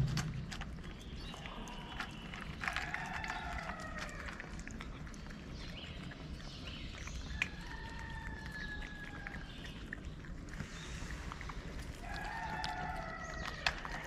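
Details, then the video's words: Homeless street cat in Morocco meowing as it comes up to a person who feeds strays. Several long, drawn-out tonal meows, some wavering, come out of a steady outdoor background hiss with occasional knocks. "The cat that came to me with a meow"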